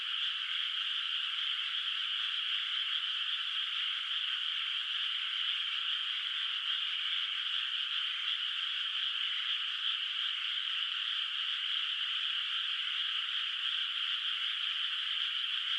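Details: Frogs heard from a distance in a rice field at night under moonlight in the countryside, before rice planting; a continuous, even wall of high trilling croaks from many callers, steady in loudness throughout.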